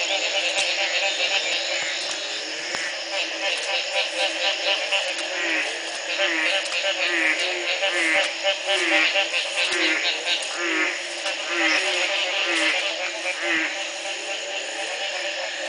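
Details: Frogs calling at the Community Baboon Sanctuary in Belize in 2010, the morning after a single night of rain ended a three-month drought; many callers overlap, giving repeated short upward-sweeping croaks about once a second over a dense, steady chorus.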